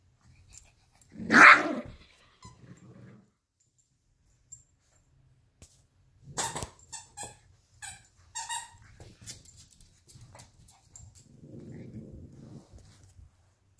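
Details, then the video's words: Fighting over a toy fox, Luigi, a 12-week-old Alaskan Klee Kai cross Pomeranian puppy, and Pooki, a 7-year-old American Eskimo cross Chihuahua. One sharp, loud bark opens, then scattered yips and snaps, and a soft rumbling growl near the end. "alaskan klee kai puppy and american eskimo chihuahua mix fight over fox"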